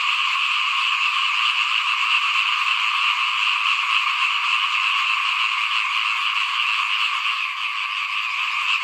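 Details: Frogs chorusing in front of a home while rice is sown ahead of planting in 2021; fast, overlapping croaks form a continuous buzzing drone, easing slightly near the end.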